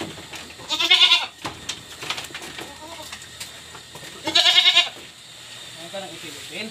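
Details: Pregnant goats on a farm, about to be fed ipil-ipil leaves: two loud, wavering, nasal bleats about three seconds apart, each under a second long, with a person talking in Filipino before, between and after them.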